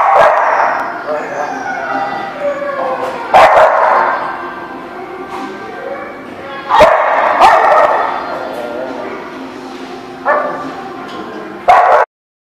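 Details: Dogs barking, recorded 24 June 2016: loud barking bursts at roughly 3.5, 7, 10 and 12 seconds, with a continuous din of further barking and yelping and some human voices between them.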